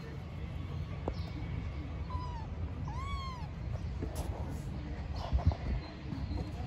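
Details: Stray kittens living on the street, playing; two meows, a thin short one followed by a longer, arching cry, over a steady low background hum with a few soft thuds near the end.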